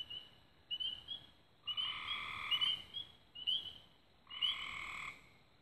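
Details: Dusk frog chorus near Raven Rocks in Belmont County, Ohio, recorded 24 May 2016, with chirping trills broken by loud, drawn-out buzzy calls lasting about a second each, three bursts in quick succession.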